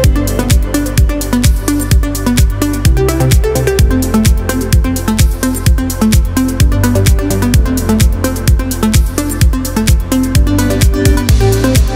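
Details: Steady electronic dance music with a thumping regular beat and layered synth tones, with no animal voice.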